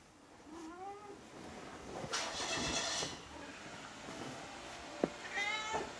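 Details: Domestic cat that strongly dislikes the vet, on its way to the animal hospital, filmed on a Sony HDR-PJ590V camera; a rising, drawn-out meow early, a broad rushing noise mid-way, a sharp click, then another tonal meow near the end.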